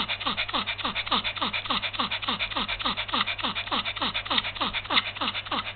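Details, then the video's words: Heat-stricken Yorkshire Terrier pet, February 2015, breathing in rapid regular pants indoors, roughly three to four harsh breathy strokes each second, holding an even rhythm with slight variations in loudness. "perrito con golpe de calor"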